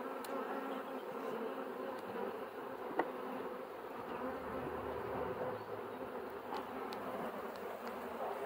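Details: Honey bees buzzing in a steady, dense hum with harmonic bands, continuous throughout, a few faint clicks and taps over the drone.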